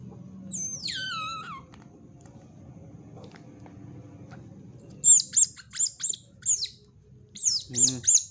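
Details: Otter described as white-footed, white-tailed ringtail: an opening high whistled glide sliding downward, a quiet stretch, then bursts of sharp, very high chirps in irregular clusters, with one lower squawk near the end; faint low background hum.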